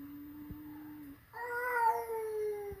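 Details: A flat-nosed cat meets a peak-nosed cat indoors for the first time. A thin steady tone gives way to a loud, harmonic-rich meow that holds level and fades slowly.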